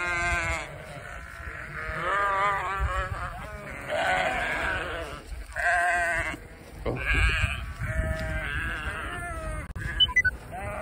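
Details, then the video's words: Several sheep in Vermont, met during deliveries, bleat as they follow a walking person and want to join; long harmonic, wavering bleats overlap one another almost continuously, with low rumbling background noise. "Walking with the sheep 🐑 talking wanting to join me"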